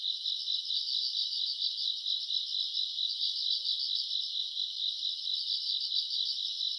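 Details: Summer-night chorus of grass insects, recorded in August: steady high shrill trilling with rapid rhythmic pulses a little over twice per second, many insects overlapping into an unbroken band, otherwise quiet.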